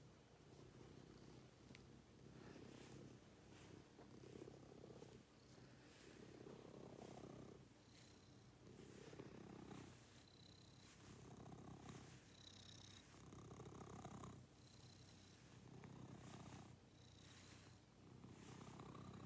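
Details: Pet cat purring close up during a morning routine, a low rumbling purr swelling and fading in steady breaths roughly every two seconds, with faint high whistly tones over some phases.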